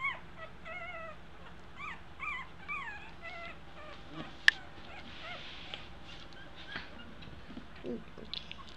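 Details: High, wavering squeaks in quick succession from two-week-old Eskie puppies taking their first steps, fading after a few seconds into soft rustling and a sharp click.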